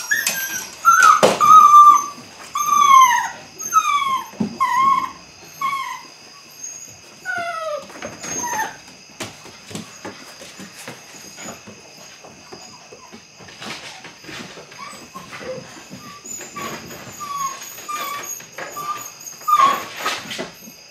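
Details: Eight-week-old Belgian Malinois puppies beginning bite work, from an Android Whiteline Czech x Mason's AnnieLou litter; a run of high, downward-sliding whimpers and yips in the first nine seconds, then scattered fainter cries over clattering, knocking indoor noise and a steady high tone.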